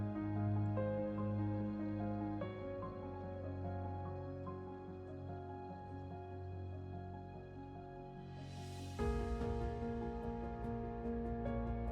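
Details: Gentle new-age music of held, layered chords fills the passage, shifting harmony midway with a brief airy swell. No animal calls can be picked out.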